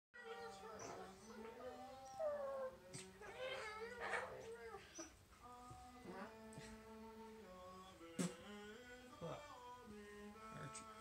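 A corgi makes warbling, yodel-like chirps and drawn-out wavering tones, with a person speaking briefly.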